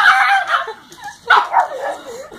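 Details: Pug attacking someone's feet because it hates the squeak of sneakers, giving two rough, yappy bark bursts about a second apart with softer growling between.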